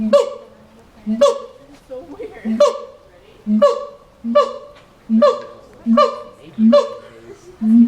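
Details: A monkey in a zoo cage in Los Angeles gives a steady series of hoarse, honking calls, one every second or so.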